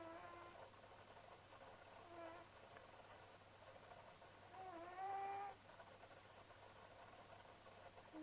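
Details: Pet cat Leonardo snoring while asleep. Short droning, whistly snores come at uneven gaps, and one longer, louder breath about five seconds in has a squeaky tone. A constant faint hum sits underneath.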